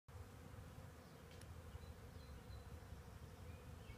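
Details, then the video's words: Honey bee swarm gathered in a tree, giving a steady, dense low hum that holds without a break, with a faint higher whine briefly rising above it. "bees in tree"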